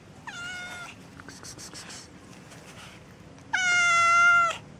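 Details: Street cats, tortoiseshell and calico, meowing outdoors: a short nasal meow, then a pause with soft rustling, then a louder, longer drawn-out meow with rich harmonics and a slight rise, over a low background hum.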